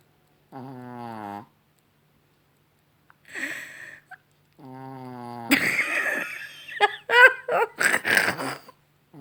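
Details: Chihuahua Rocky snoring in the evening, two short buzzy snores separated by a soft rustle, then a burst of mixed loud noises, possibly human laughter and movement.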